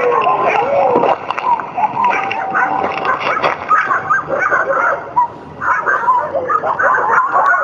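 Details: Pack of Chukotka sled dogs barking and howling together; overlapping yelps, barks and wavering howls, continuous and loud throughout.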